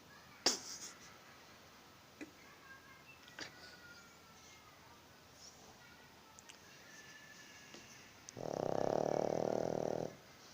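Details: A sleeping pug gives a single snore that sounds like a Bullet motorbike: a steady buzzing rattle of fast pulses for about a second and a half, after scattered clicks and taps in a quiet room.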